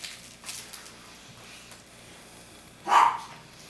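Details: A puppy at play indoors in 2014 gives one short, sharp yelping bark near the end, after a quiet stretch with faint knocks and rustles.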